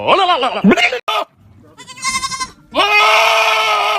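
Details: Goat giving strange, harsh bleats: a wavering, quavering cry, a short break, a buzzy rattling call, then a long, steady, strained scream-like bleat.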